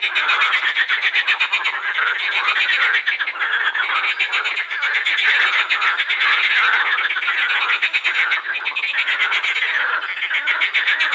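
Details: Edible frogs calling en masse at the Krebsenwasser pond in the Wiener Prater, Vienna; unbroken rapid pulsing rattles and quacking croaks from many frogs, dense and loud throughout.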